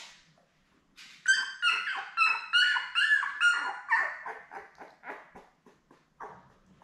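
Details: Newborn Labrador Retriever puppies from a litter of seven born May 24, 2021 to mother Belle, on a puppy cam June 4: high, harmonic whines pulse in a steady series, roughly three per second, then fade into softer whimpers.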